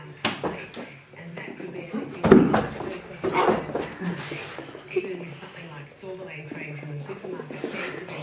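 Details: A 6-week-old female Golden Retriever puppy gives short, sharp, high barks between a woman's spoken commands to sit.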